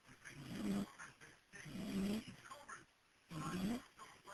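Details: Dog asleep on the porch, recorded by cell phone, giving three coarse low snores about one and a half seconds apart, each swelling then fading, with faint household voices and television sound behind.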